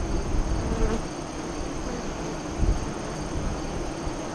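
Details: Honey bees at a hive entrance facing west, 5 miles east of Lyons, Nebraska, during the 2017 solar eclipse, 2:48-3:00 CDT. A dense, low hum of many wings runs steadily beneath a brief brighter buzz of a passing bee near the start.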